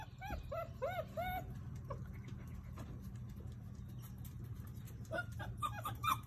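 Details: Puppies visiting with their mother and father: bursts of high, arching squeals with rich overtones open the recording, then a quieter stretch of low hum before more sharp squeaks return near the end.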